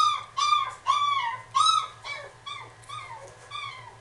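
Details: Female Miniature Dachshund in a pet shop, giving a run of high, whining whimpers about twice a second, each nasal cry bending down in pitch, the first few loudest, later ones softer; a steady low hum underneath.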